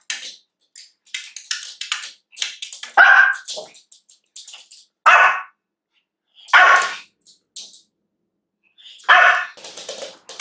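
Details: Pomeranian puppy, female, trying to get a cookie, gives four loud sharp barks spaced about two seconds apart, with quieter yips and scrabbling sounds between them.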